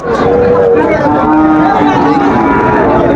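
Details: Sahiwal bull calves at Raniganj cattle market in September, one giving a sustained, steady moo with smooth harmonic bands under loud market chatter and men bargaining over prices.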